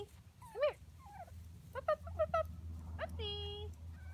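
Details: Seven-week-old Schnauzer puppies, back from the vet and busy checking things out, let out sharp rising whimpers, a quick trio of yelps, then one long steady whine, over a quiet low hum.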